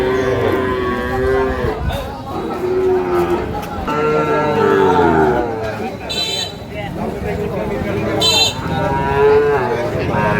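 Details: Sahiwal bull calves about seven to eight months old at Amabari cattle market, Cumilla, Bangladesh, 12 May 2025; long wavering moos repeat through a noisy crowd of talking men, with brief bursts of music.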